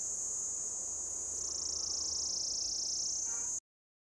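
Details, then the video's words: Mating call of an orange-coloured cicada perched on a lichen-covered deodar trunk, Jabbarkhet, Uttarakhand, India: an intense high buzzing drone rising slightly in pitch midway, cut off abruptly after about three and a half seconds. "Orange Coloured Cicada belts out mating call from tree trunk"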